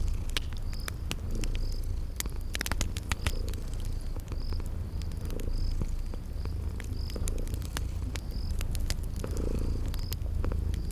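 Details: Purring from sleeping cute kitties beside a crackling fireplace, a continuous deep rumble that swells in soft pulses about every two seconds, while insects chirp in short high bursts and fire pops crackle throughout.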